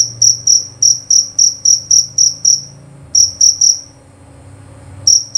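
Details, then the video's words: Shrill, clear chirps of a jerabang cricket repeated quickly for three seconds, then a short burst of three, a pause of about a second, and two more chirps, over a faint low hum. "Bunyi Suara Jangkrik Jerabang Nyaring dan Jernih"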